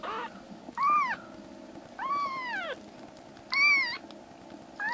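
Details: Rescued black kittens, three brothers in foster care whose stomachs and eyes are recovering, crying loudly indoors. Three long arched meows rise and fall, with a fourth starting at the end, over a steady low room hum.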